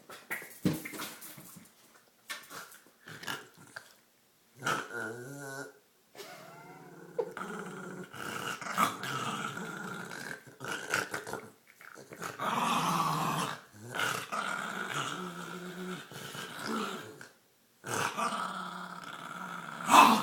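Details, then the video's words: Olive the dog plays with her green toy, making weird noises: long stretches of gurgling, snorting growls with wavering pitch, broken by short pauses, ending on a sharper yip-like note. "Olive Makes Weird Noises"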